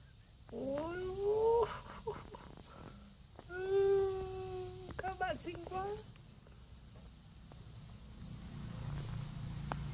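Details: Domestic cat meowing indoors: two drawn-out, wavering meows around 1 and 4 seconds, then shorter broken calls near 5 to 6 seconds, with low background hum and quiet room noise.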